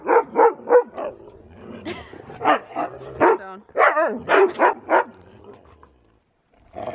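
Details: Siberian Husky doing zoomies in falling snow, giving a run of short, loud barking yelps in uneven bursts, some rising and wavering into a howl-like woo, then a brief pause before another call.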